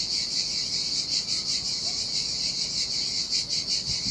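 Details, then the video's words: Cicadas singing in the summer heat beside the Sardinian sea on a desolate beach: a dense, high, hissing buzz that never stops, swelling and fading in quick pulses, over a faint low wash of surf. "Ocean Waves & Cicada Sounds - The Most Relaxing Waves Ever - Cicadas by the Sea"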